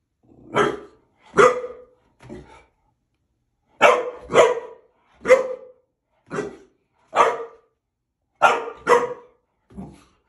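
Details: Gabriel, a male boxer dog, barks in sharp, loud single and paired woofs, about ten over ten seconds with short silent gaps between bursts.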